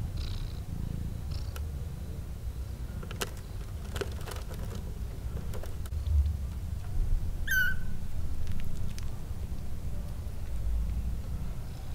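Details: Newborn kittens, two of them, resting calmly in a basket. They give a continuous low purring rumble with faint clicks and rustles and one brief high chirp near the end.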